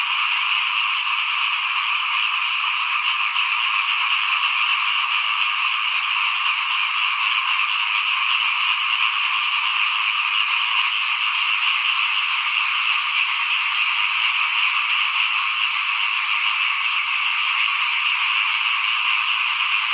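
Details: Small frogs call in front of a house during rice sowing in 2021, massed into one constant, buzzing chorus. Layered high croaks blend into steady bands with no breaks, and a faint click sounds briefly midway.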